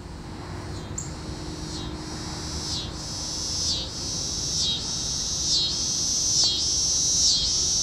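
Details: Tibicen pruinosus cicada singing from a walnut tree in a neighbor's yard in Hutchinson, Kansas, June 16, 2010; loud, high buzzy pulses swelling and dipping roughly every second, forming a continuous rhythmic drone.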